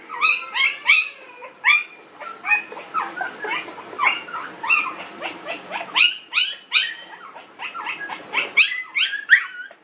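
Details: Nineteen-day-old puppies whimpering and yelping nonstop, many short harmonic squeals overlapping in a busy chorus, each call sliding up then down, several pups calling over one another.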